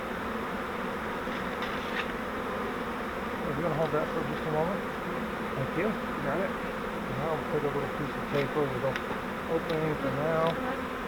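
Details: Captured honeybee swarm in a fiber flowerpot swarm trap, ready to be moved into a Langstroth hive; a continuous low droning buzz of many bees runs throughout, with a man talking over it in the middle.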